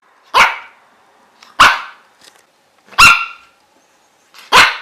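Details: Dog barking: four sharp, loud single barks spaced about one to one and a half seconds apart, each a broad burst with a bright ringing core, a few soft clicks between them.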